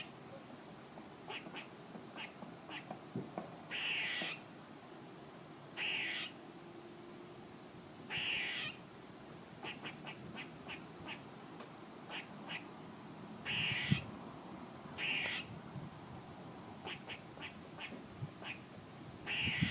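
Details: Squirrel calling: harsh, buzzy bursts about half a second long come every two to three seconds, mixed with clusters of short, sharp chips. Low background rumble underneath.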